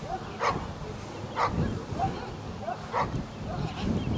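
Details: Newfoundland dog Layla during section C exercises of a water test at Grangewater Tests, barking about five times at uneven spacing over low rumbling background noise.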